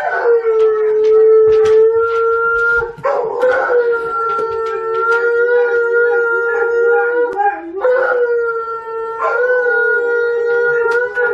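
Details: Indoor Siberian Huskies join a Malamute named Tonka howling from the TV; long sustained even-pitched howls broken into three or four drawn-out phrases, each restarting with a slight upward swoop, plus faint clicks and rustles.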